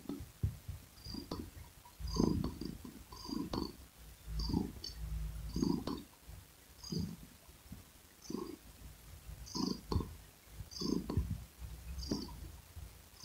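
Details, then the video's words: Domestic cat purring: a low, rumbling purr that swells and fades in rhythmic bursts about once a second, with faint soft ticks above it. "Sweet Asmr Cat Purring Sound"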